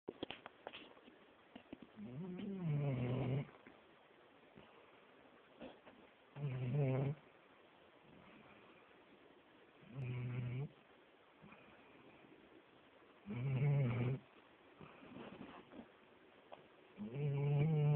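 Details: Young dog asleep and snoring loudly: deep rasping snores in bursts about every three to four seconds, each lasting around a second, with quiet breathing between.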